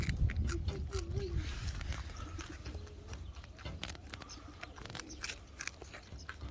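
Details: Coypus (nutrias) eating carrots at Mini Zoo "Atomi", Liepāja, Latvia, on 20 April 2021: dense crunchy clicks of chewing run throughout, with a low rumble and faint voices near the start.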